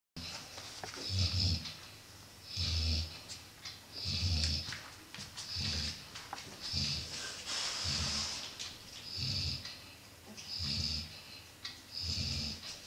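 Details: Golden Retriever female named Ronja, resting with her puppies; slow rhythmic snoring breaths, roughly every one and a half seconds, each a rasping whistle with a low rumble beneath, in a quiet room.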